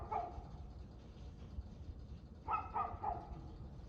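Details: Dog barking at 6:02 pm on 6 February 2024: a single bark opens, then after a quiet gap a quick triple of rough barks, with steady low background noise.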